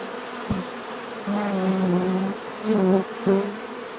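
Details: Single bees flying close by over a background hum: loud low buzzes that swell and fade as they pass, several separate fly-bys in quick succession, with a sharp tap near the start.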